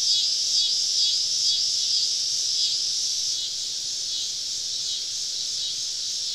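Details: Summer evening cicada chorus deep in southern woods, insects on every side: a steady, hissing high-pitched drone with faint flickering ticks early on, easing slightly in loudness over the last seconds.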